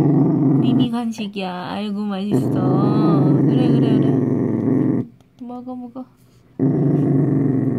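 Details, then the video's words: Dachshund growling while eating a homemade treat, described as scared: a sustained low, gravelly growl lasting several seconds, broken by brief wavering whine-like notes and a short pause before the growl resumes. "닥스훈트 수제간식 먹으려고 으르렁 Dachshund"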